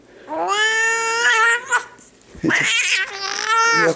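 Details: Annoyed large tomcat that does not want to be held lets out two long, harmonic-rich complaining meows, each over a second long, separated by a short pause with brief clattering sounds.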